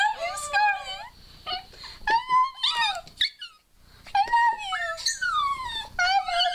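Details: Scarlett, a pet dog, 'talks' for the first time in a small room: wavering, whining howl-like phrases that bend up and down in pitch, in bursts separated by short pauses, with a human voice mixed in.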